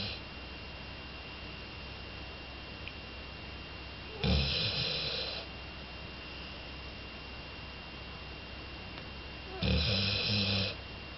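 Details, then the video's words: Jolie, a two-year-old female Labrador Retriever, snoring loudly while asleep: two long noisy rasping breaths about five seconds apart, low rumbling with a hissy upper layer, quiet background between them. "ラブラドール ジョリ 大いびき"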